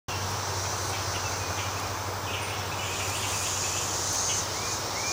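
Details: Thirteen-year cicadas of Brood XIX, the Great Southern Brood, mostly freshly molted, in a Nashville, Tennessee back yard on the morning of May 12, 2011: a dense, steady hissing chorus spread across high pitches, with low hum beneath and faint bird notes.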